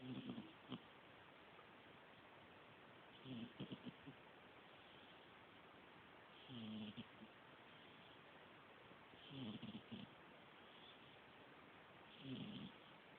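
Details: Sleeping cat snoring softly indoors, low raspy breaths around every three seconds, each a short grainy rumble with a faint hiss, over steady low background noise.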